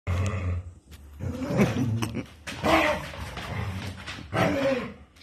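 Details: Two dogs playing together, giving rough low growling and barking bursts in three main outbursts, with a woman speaking Arabic to them in between.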